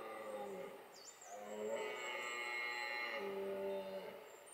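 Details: Red deer stags in the Hautes-Pyrénées bellow during the 2020 rut with deep, drawn-out, moaning roars that overlap one another.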